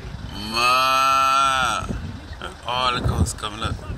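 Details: Cattle called over by a man: a long, steady, rich moo of about one and a quarter seconds, followed by talking and rustling.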